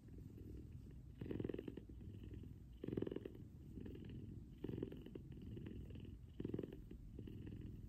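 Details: Morning cuddle with a big F2 Savannah cat purring loudly beside its owner; low throbbing purr with a stronger, raspier surge on each breath, recurring every one and a half to two seconds.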